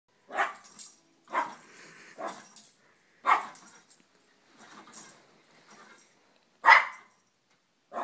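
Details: Two Yorkshire Terriers fighting, giving short sharp barks in uneven bursts, about six over eight seconds, with brief quieter growly gaps between them.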